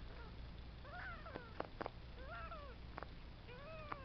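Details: Cheeto, a three-week-old foster kitten from a litter kept with its mother, taking early steps; thin high mews with rising-then-falling arcs, about four calls, between soft taps over a low steady hum.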